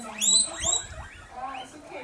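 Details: Curious guinea pig investigating a cat, giving brief very high-pitched squeaky sweeps, strongest early on, over quieter room noise.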